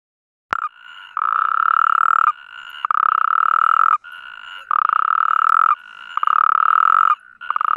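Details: Natterjack toads on the Iberian Peninsula giving their mating call: loud, rolling, buzzy trills, each one to one and a half seconds long, repeated with short gaps, while a second, softer and slightly higher trill fills the pauses.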